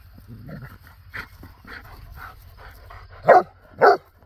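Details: Playing dogs, a Bernese Mountain Dog and a Belgian Shepherd; soft scattered huffs and low rumbling noise, then two sharp, loud barks about half a second apart near the end.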